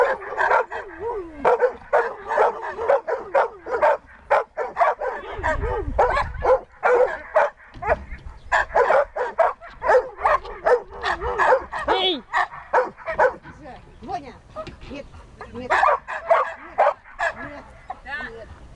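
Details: During search and rescue training, Siberian Husky Dexter barks and yelps almost continuously, roughly two per second, irregular, with whining tones between barks and some low rumbling noise.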